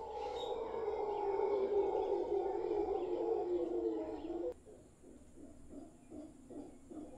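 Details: In Guanacaste, a troop of howler monkeys in a tree in front of a property roars loudly and continuously for about four and a half seconds. After an abrupt cut, softer pulsing grunts repeat roughly twice a second.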